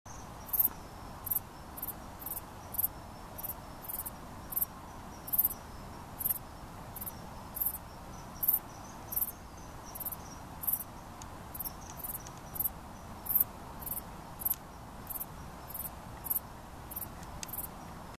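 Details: A male dark bush-cricket (Pholidoptera griseoaptera) sings short, sharp, high chirps repeated roughly every second, at Barford Road Pocket Park, St Neots, Cambridgeshire.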